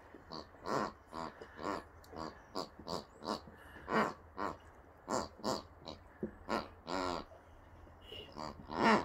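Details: Boxers Rex and Sammie enjoying fresh birthday toys. Repeated piggy grunts and snuffles arrive in quick uneven bursts, some drawn out and louder, over a faint low background hum.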